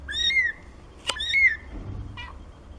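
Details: Seventeen-day-old kittens, part of a litter of four born to Nina, give two thin, high meows with bright overtones, each gliding up then falling, with a sharp click between them and a brief squeak near the end.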